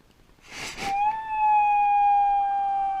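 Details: Dog reacting to its owner leaving: after a breathy intake, one steady, sustained howl holds on a single even pitch for about two seconds in a quiet room.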